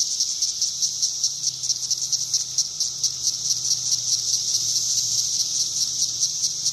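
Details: Brood X periodical cicadas in 2021, a dense chorus of high, shrill, continuous buzzing with a steady pulsing throb, plus a faint low hum beneath.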